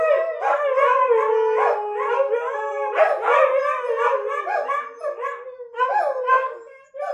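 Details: Several pet dogs howl together in chorus, overlapping wavering tones sliding up and down, some voices holding steady notes while others rise and fall, with brief pauses near the end.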